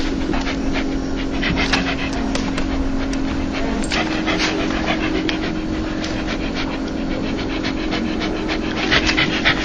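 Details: Joyful dog 'laughing', a sound said to calm anxious dogs: quick rhythmic huffing breaths, close and continuous, with a steady low drone beneath.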